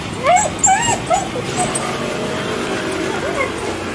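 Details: Stray street dog runs up to greet a person, crying happily and jumping on his chest to seek attention; a quick burst of short, high, rising-and-falling whimpers at the start, then fading into soft background noise.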